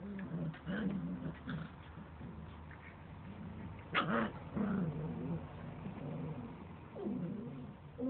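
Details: Standard Poodle puppies, the babies of Sara, born 25–26 February, playing at the JM.HOUSE dog cafe: low rumbling growls and soft whimpers under a steady hum, with one sharp louder yelp near the middle.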